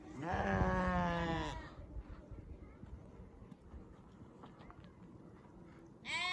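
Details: Sheep bleating once in a long, wavering, quavering cry lasting over a second, then a second bleat starting at the very end; steady low background rumble and hiss between calls.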